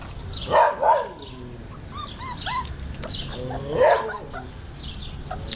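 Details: Siberian Husky puppies at play and feeding, giving quick paired yelps at the start, small whimpering squeaks in the middle and another sharp yelp later, over low background rustle.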